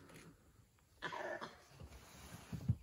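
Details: A langur gives a harsh, coughing alarm bark in the jungle, warning of Indian wild dogs hunting nearby, while climbing quickly up a tree.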